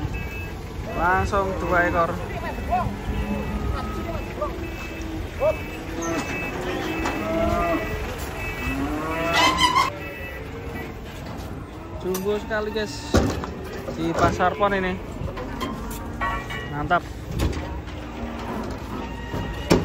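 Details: Cattle herd being unloaded from a truck, one animal turning angry: a string of drawn-out, harmonic moos from several cows, some rising and falling, over engine rumble and a few voices.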